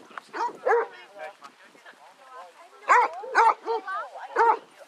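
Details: Basset Hounds on a pack walk of 18 dogs at Belwade Farm, Dess, Aboyne, Scotland, on 10 August 2014, give a rapid, irregular series of ringing barks and yelps, about two per second, in overlapping bursts with voices in the background.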